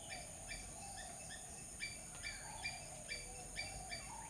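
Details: Squirrel calling: short, sharp chirping notes with a hard edge, repeated steadily about twice a second, some slightly stronger than others, over a constant thin high-pitched hiss and a low background rumble.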